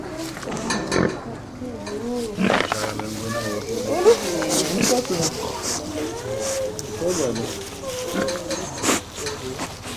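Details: Pigs at the heavy horse show in Trimpley, 2010, snuffling, snorting and grunting: rough low grunts and snorts in irregular bursts, mixed with loud nearby human voices and outdoor crowd noise.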